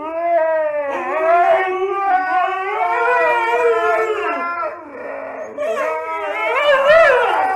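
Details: Siberian Husky 'talking' at night around 10 o'clock, a continuous howling, yodel-like voice with rising and falling pitch sustained for several seconds, briefly roughening midway before resuming; a person speaks and music plays.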